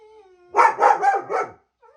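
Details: German Shepherd set off by hearing other dogs: a faint drawn-out whine, then four quick, harsh barks in close succession lasting about one second.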